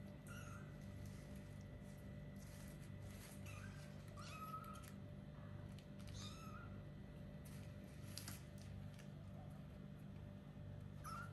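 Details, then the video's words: Several short, high kitten mews, each bending down in pitch, come at irregular intervals from four-week-old kittens beginning to play, over a constant low hum and light rustling. "Little kittens meowing and playing"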